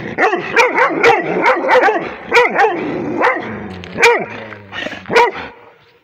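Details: Rhodesian Ridgeback barking at a tablet: a fast run of loud, sharp barks and yips, roughly one a second, pitch rising and falling between barks, ending with a few spaced barks before quiet.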